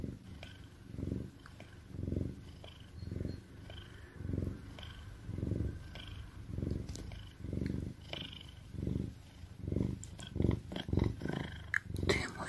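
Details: An Oriental cat lying in a bag and falling asleep after a tiring day purrs in a low, steady rumble that swells with each breath, about once a second, while snuffling and puffing at the same time.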